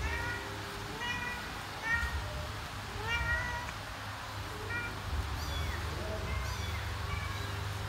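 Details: Mother domestic cat calling her kittens to follow her; short, clear meows repeat about once a second, some rising then falling, a few higher and more drawn out, over a steady low hum.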